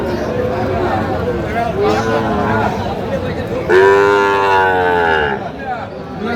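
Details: Sahiwal bull calves in Kushtia, Bangladesh, 5 August 2025, where a farmer is buying stock: a short low moo comes first, then a louder, sustained, strongly tonal bellow lasting over a second, with people talking around the animals.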